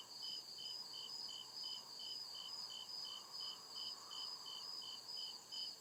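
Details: Crickets chirping at night in deep forest woods, crisp high pulses coming regularly a few times per second, backed by an unbroken shrill trill and a faint murmur lower down.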